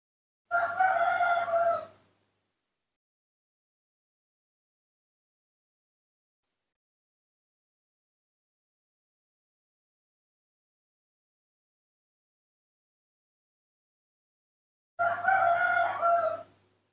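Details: A hand-reared newborn baby monkey screaming for milk. Two long, tonal, wavering screams of about one and a half seconds each are separated by a long silence.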